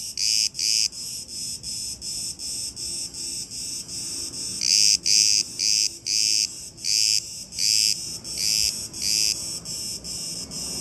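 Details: Cicadas in chorus on Crete, Greece, a loud, high, rasping buzz broken into pulses roughly every half second, several singers overlapping so the bursts swell and fade unevenly, with no other clear sounds.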